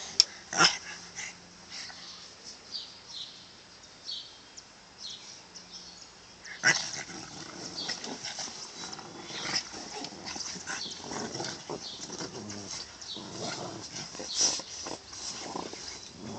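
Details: Two Boston Terriers, Lu and Wally, playing bitey face, recorded on an Android phone; snorty, rasping growls and huffs come in irregular bursts among scuffling and thumps, with sharp knocks near the start and middle.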